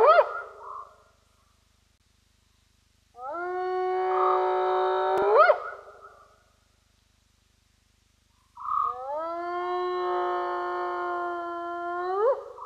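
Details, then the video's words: Spotted hyena whooping at Roy's Dam. Long, harmonic calls of about three seconds each hold a steady pitch, then sweep upward at the end. Two full whoops follow the tail of an earlier one, with quiet gaps between them. "Spotted Hyena, Whooping as Hyena do"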